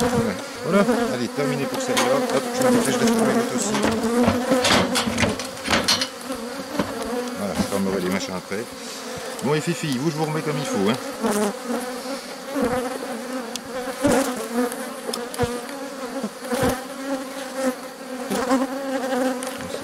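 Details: Honey bee colony, a drone-laying hive being rescued in May 2021 by adding a brood frame with nurse bees from the adjacent hive. A continuous layered buzzing holds throughout, with sharp knocks of handled equipment and faint murmurs.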